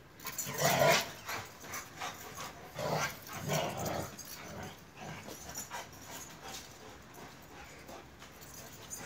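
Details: Pair of Turkish Akbaş shepherd dogs at play, with a loud gruff growl early on, then two fainter growling bursts that fade into soft background noise.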